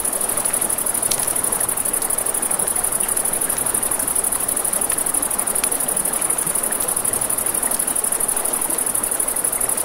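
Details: By a river after dark, crickets keep up an unbroken, piercing high-pitched trill above broad flowing-water noise, with occasional loud pops from a crackling campfire.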